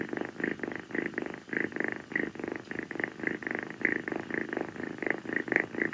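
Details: Rescued female calico kitten Kii staying on a person's feet on a hot night, purring continuously after playtime; regular throaty vibrating pulses in steady alternation, with one faint sharp tick near the end, indoors.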